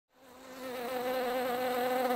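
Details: Honey bees at a hive on 31 July 2018, where a few wasps were found and one was being evicted: a steady, low, harmonic-rich buzz that swells in loudness over two seconds.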